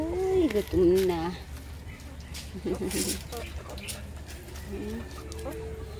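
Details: Puppies crying for attention, two strong quavering whines filling the first second and a half, followed by softer, scattered whimpers and short cries against a constant low background hum.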